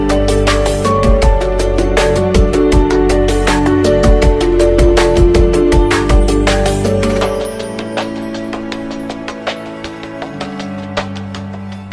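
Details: Loud electronic music with a fast, steady drum beat and synth tones, which thins out after about seven seconds; no animal voices are heard.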